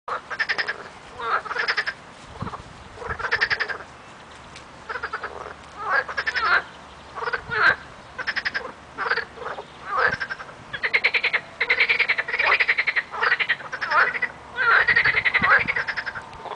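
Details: Frog chorus in early spring: many frogs croaking together in overlapping bursts of rapid rattling pulses, each burst about a second long, nearly continuous across the recording.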